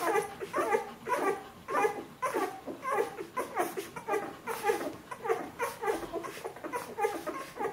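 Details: Two-week-old Bernese Mountain Dog pups calling indoors, a rhythmic run of brief nasal squeals and whines, each lasting a fraction of a second, coming in close succession from more than one puppy.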